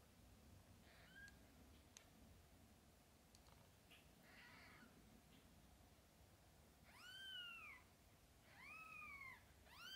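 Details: Mother cat with her kittens, from birth to eyes opening; after several seconds of quiet room noise, two loud drawn-out arching meows come in close succession, with faint softer calls earlier.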